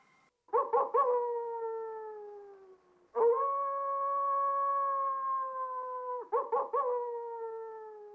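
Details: Coyote howl: long sustained steady tones with rich harmonics, each opened by a few quick yipping notes, one held about three seconds before dropping away, then another burst of short yips at the end.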